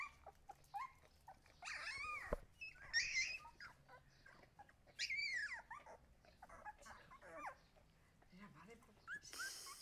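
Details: Husky puppies giving scattered high, rising whimpers and squeaky yips in short bursts, separated by quiet gaps, with faint background noise.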